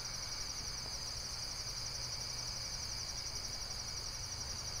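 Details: Brief stretch of continuous, high, finely pulsed insect trilling, steady in pitch and loudness, with a low hum beneath.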